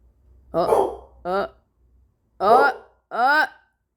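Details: Dog indoors barking at a wall after suddenly waking up; four short, harmonic barks with arched pitch, spaced roughly a second apart, in a small room.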